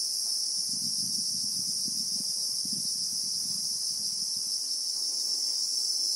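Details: Christmas beetle (Anoplognathus) chorus from acacia bushveld in South Africa, in real time: a constant piercing hiss-like buzz over a patch of low rustling and thudding in the middle seconds.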